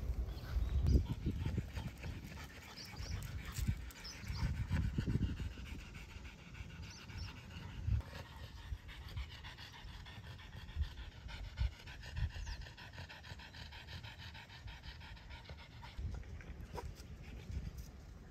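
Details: French Bulldogs, a parent and child, on a walk at the Miharu Dam viewpoint. Fast, rhythmic, breathy panting continues throughout, with occasional louder huffs over a low outdoor hum.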